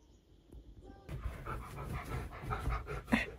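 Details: A husky, caught singing to himself after waking on new bedding, gives a run of low, wavering whines and grumbling moans, breaking into a sharper yelp near the end.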